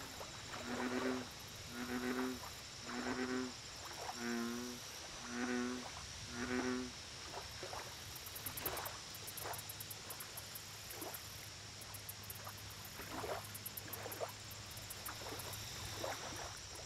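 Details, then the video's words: American bullfrog at a lake: low, buzzy harmonic croaks repeat roughly once a second for about seven seconds. Softer, higher clicking calls from other frogs follow, over a steady high insect drone and bursts of rapid high chirping. "Bullfrog Lake Audio Only"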